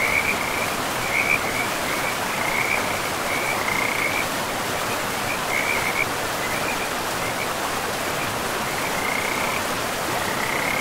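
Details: Frogs calling along a river in pristine forest: bursts of quick, pulsed, rattling trills in the first half, a gap, then fainter trills returning near the end, against loud continuous rushing water.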